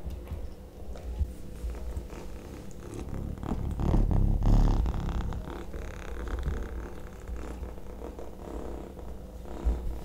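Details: Kitten eating sausage indoors, a steady low purring rumble that swells toward the middle of the clip, mixed with wet chewing and biting noises throughout.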